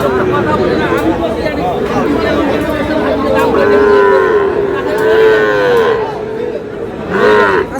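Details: At a Brahmanbaria cattle market in Bangladesh, Sahiwal bull calves bellow in long, smooth, level moos lasting over a second each, repeated several times amid continuous talk and haggling from a crowd of traders.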